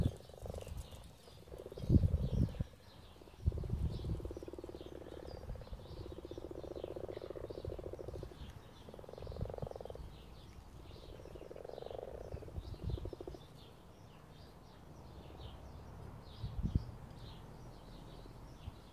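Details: Frogs at mating time, a series of low, drawn-out croaking bursts about one to two seconds long, repeated irregularly over a dull background rumble, with faint higher chirping in the distance.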